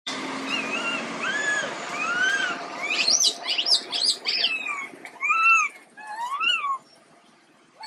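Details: Quinton, a sick baby monkey, gives a string of arching, whistled calls, some rising and falling, then a burst of shrill overlapping squeals and a few more arched cries, against a faint background hiss.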